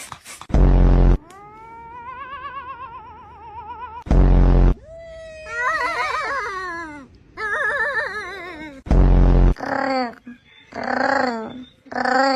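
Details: Cat making funny, varied meows: a long wavering mew, then warbling, trilled yowls and short chirpy calls, broken by three sudden loud bursts of noise.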